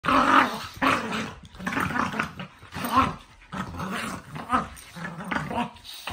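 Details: Two dogs roughhousing before bedtime, their rough, rumbling growls coming in bursts about every second, with brief gaps between the snarls.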